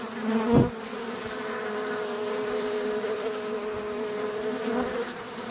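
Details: Honey bee buzzing as a steady, low droning hum against a hissy background, with a brief louder knock near the start.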